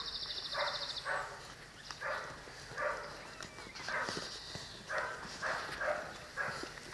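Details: Twelve-week-old Cane Corso puppies from the litter of Axa and Bullet give a run of short, harsh barking bursts roughly every half second to second, with a high chirping bird and faint background noise outdoors.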